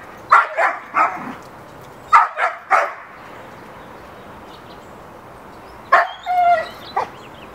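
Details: Hera the dog barks in a backyard, seeking play with the neighbor's dog; a quick triple bark, then another triple, a pause of about three seconds, and a final cluster ending in a higher whining yelp.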